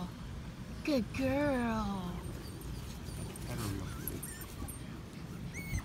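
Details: Patterdale Terrier puppies, five weeks old, moving through an earth tunnel of cut PVC pipe. One sharp rising-then-falling whimper and a wavering whine close together, with faint human coaxing and background murmur.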